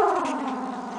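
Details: Puppy with eyes almost open makes a steady, droning low growl that starts slightly higher and settles into an even hum for about a second.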